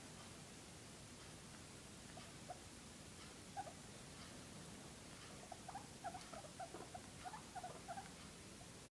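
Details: Pregnant guinea pig in its ninth week, grooming itself; soft, short squeaky peeps and light scratchy pattering, scattered and growing more frequent in the second half, over a steady background hiss.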